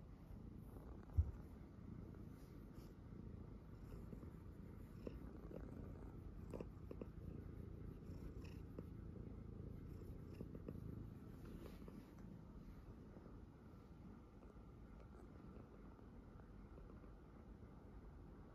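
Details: Tuxedo cat, Uni or Nami, purring indoors while having its nails cut; steady low rumbling purr throughout, a single sharp click near the start, small handling noises in between, fading slightly softer toward the end.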